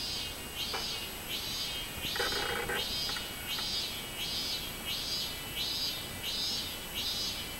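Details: Robust cicada (minmin-zemi) singing on 24 July 2016, a high buzzy pulsing phrase repeated about every 0.7 seconds in a steady chain of rising-falling units, with a brief lower rasp mid-phrase over soft background hiss.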